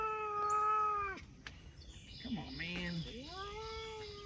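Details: Cat talking with a long steady meow that drops off sharply, then a short rough call and a rising meow that levels out, softer scrapes and noises in between.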